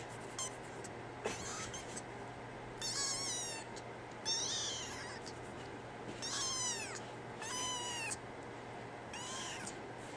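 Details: Female brown tabby and white cat named NANA, meowing indoors: about seven high, thin, wavering meows, some rising then falling, coming in irregular bursts every second or two over a steady low hum.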